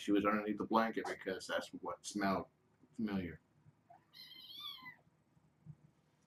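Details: Pet kittens during evening play time indoors; a man talks for the first three seconds, then one clear meow rises and falls before the room goes quiet.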